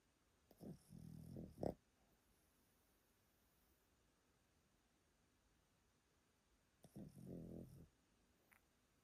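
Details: Yotaro, a grandfatherly Pomeranian at a relative's house in Japan, asleep and snoring loudly: a rough, rattling snore ending in a sharp snort, a six-second silent gap, then another low grating snore.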